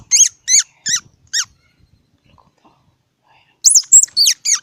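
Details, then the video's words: Squirrel uttering loud, very high squeaky notes that slide downward, four in quick succession, then a short silence and another rapid burst of four. "សំលេងដង្ហែន Squirrel 🐿️ Sound"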